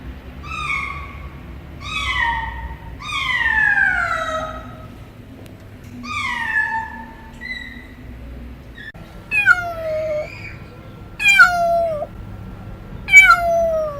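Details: Cats meowing strangely, a run of drawn-out meows that slide downward in pitch, some long and wavering, with a steady low hum underneath.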